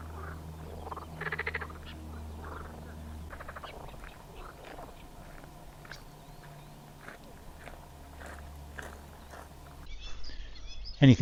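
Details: Marsh frogs at a pond at Elmley, Isle of Sheppey, Kent, on a June 23rd afternoon make a racket of short rattling, pulsed croaks in bursts over wind, with a man talking, blackbirds, linnets, goldfinches and reed warblers calling.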